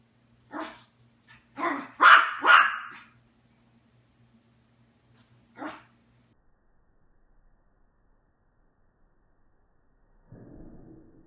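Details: Adult Yorkshire Terrier at home, stirred by puppies on television, barks in short sharp high yaps. One single bark comes first, then a rapid cluster of three, then a lone bark after a pause, over a faint hum. A low rumbling noise follows near the end.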